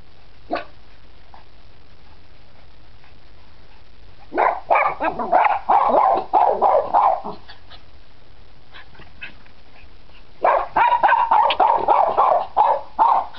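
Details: Nine-week-old Cairn Terrier puppies at play give two bursts of rapid, high yappy barks, each volley lasting about three seconds, separated by quiet with scattered soft clicks and thumps.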